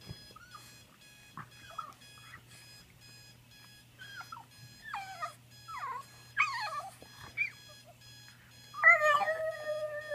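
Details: French Bulldog pet indoors howling in reaction to a ringing alarm clock it hates: short rising-and-falling yelping howls, then one long harmonic-rich wail near the end, over steady electronic alarm beeps.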